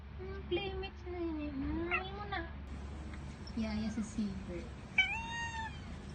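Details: Cat meowing indoors, a run of drawn-out, wavering meows with rising and falling pitch, several overlapping calls across the stretch, over a steady low hum.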